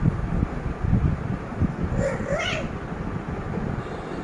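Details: Shut out of a room, a cat tries to get in through the closed door and lets out a single drawn, wavering meow amid low rumbling noise and a voice.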